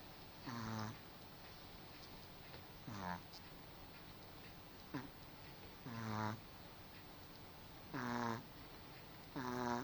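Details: Snoring from a domestic dog. Five rasping, harmonic snores drop slightly in pitch and repeat at a fairly even pace of about every two and a half seconds, with a low hum underneath.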